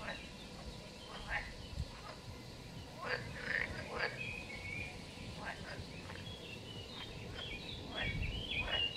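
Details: Frogs croak at a mountain pond hidden by wild vegetation, 2023, in short, rough, broadband pulses about twice a second, with bird songs higher up and low rumbling background noise.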